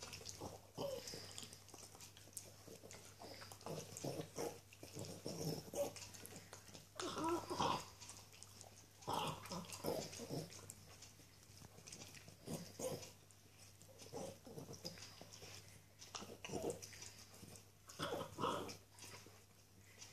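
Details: Chewing on a tasty bone, a little female Norwich Terrier makes irregular short grunts, snorts and gnawing sounds spread across twenty seconds, with a steady low electrical hum beneath.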